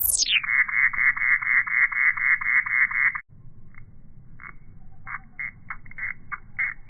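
An insect gives a rapid, buzzy pulsed call, about four pulses a second, then breaks into scattered bursts.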